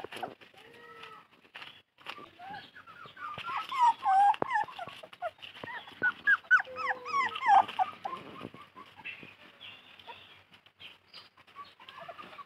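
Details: Thirsty puppy crying while searching for its mother: a jumble of high, arched whines and yelps, some overlapping, loudest in the middle seconds, with scattered clicks and rustling between.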